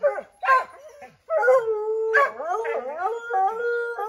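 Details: Redbone Coonhounds Bo, Luke, Lulu, Cooter and Jesse treeing a chipmunk in an oak tree: a sharp bark opens, then long sustained howls waver and bend, overlapping from several dogs.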